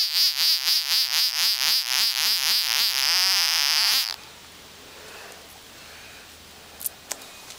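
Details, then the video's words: A singing frog gives a loud pulsing trill, about four throbbing beats a second with a wavering tone, stopping after four seconds; then quiet with a couple of faint clicks. "Singing Frog"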